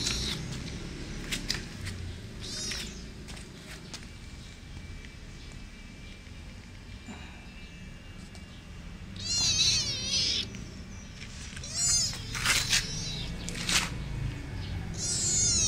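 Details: A kitten making a roaring, growly call, known locally as ngeroweng. Several wavering, warbling meows cluster in the second half over a steady hiss of background noise, with a few faint clicks earlier.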